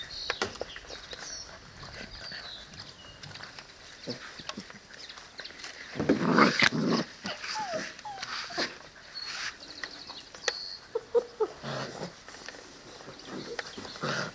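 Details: Seven-week-old Presa Canario and Cane Corso puppies from a kennel, short whiny squeaks and soft whimpers rising and falling at mid pitch, a louder burst of scuffling in the middle, with clicks and rustling throughout.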